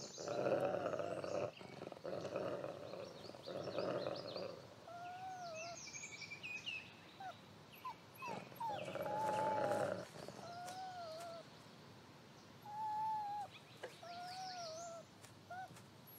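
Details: Lighthawk, a wolf dad raising seven pups, turning grumpy at their persistence; growling bouts in the first seconds and again mid-clip, scattered thin whines and whimpers between, and faint high chirps in the background.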